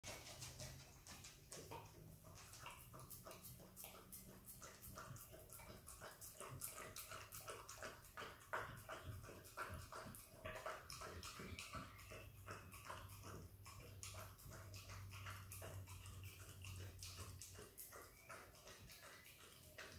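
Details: Female Australian kelpie x border collie puppy licking and eating peanut butter, recorded close up: rapid wet smacking licks, roughly three per second and unevenly spaced, with a steady low hum underneath.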